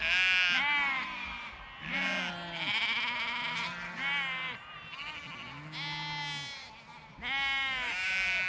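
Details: Sheep and lambs in a big flock out in a field, calling over one another: wavering, harmonic-rich bleats in close succession, lower drawn-out ewe voices beneath higher shaky lamb calls, barely any pauses.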